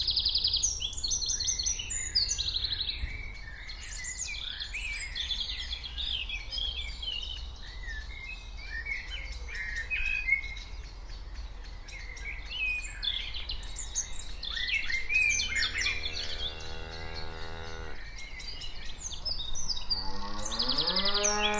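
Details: Cattle walking give a few deep, drawn-out moos over a steady chorus of chirping birds.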